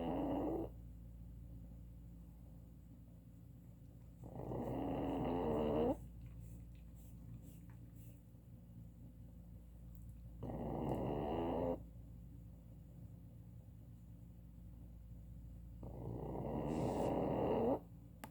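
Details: Pug asleep, snoring in slow rhythm: four harsh, buzzy, drawn-out breaths of one to two seconds each, spaced roughly four to five seconds apart with quiet breathing gaps between.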